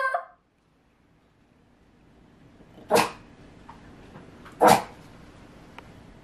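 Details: Male Rat Terrier named KwangBok, born July 2020, reacting while a dog translator app is tried indoors: two short, sharp barks about two seconds apart after a brief sound at the start, with quiet room background between.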